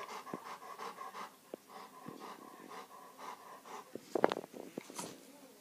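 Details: A Rottweiler that bit its owner pants and growls in rapid, rhythmic bursts, then gives a sharp, louder bark.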